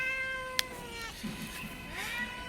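A domestic cat gives a long, drawn-out meow that sags slightly in pitch, then a shorter rising one.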